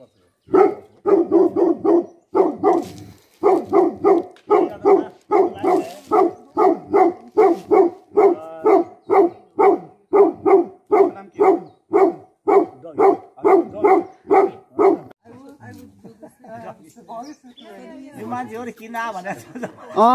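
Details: Tibetan Mastiff, the Bhote Kukur guardian dog of Nepal, barking in a long steady series of deep, rough barks about two per second, pausing briefly, then fading into mixed barks and voices toward the end.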